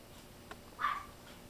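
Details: A fluffy silver toy poodle puppy, still toddling on its feet, lets out a single brief, high-pitched yip after a faint click, with quiet surroundings.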